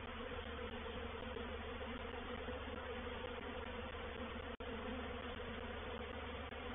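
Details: Reproductive swarm of honey bees moving into a bait hive at Painted Peacock Manor on 4 July 2021: a dense, steady droning hum filling the low and middle range, with a brief click partway through.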